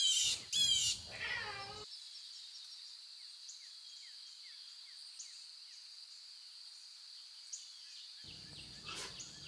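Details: Lion cubs in the wild make two or three quick, harmonic meowing cries that slide downward at the start, followed by a long stretch of constant high insect buzzing and soft bird chirps.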